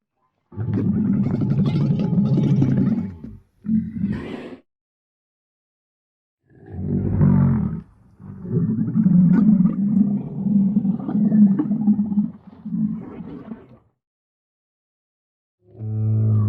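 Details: Dromedary, a real recording in 8D audio, giving deep rough grunting roars in long bursts of two to four seconds separated by silent gaps, with gargling pulses running through each call.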